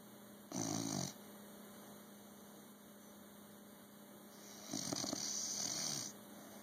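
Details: Bulldog snoring, filmed on an Android phone: two broad, raspy breath bursts, the first short near the start, the second longer a few seconds later, separated by a quiet pause over a steady electrical hum.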